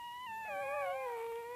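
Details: Gryzia's young puppies while suckling give a short chorus of thin, wavering whines, two voices overlapping, one gliding downward into a sustained lower moan at the end.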